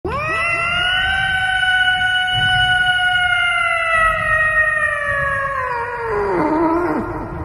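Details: Cat singing into a microphone: one long, sustained, siren-like yowl that rises quickly, holds an even tone for about six seconds, then drops and breaks into wavering, falling notes at the end.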